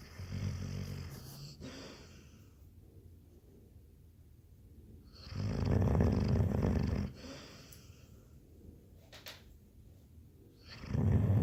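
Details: A Labrador Retriever dog sleeping and snoring, with low, grating snores around two seconds long separated by quieter pauses of several seconds, three snores in all, the last starting near the end.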